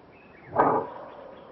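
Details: Greater kudu in Kruger National Park, South Africa, giving a single short, harsh bark lasting about a quarter second, loud and abrupt against a quiet background with faint high tones of distant birds.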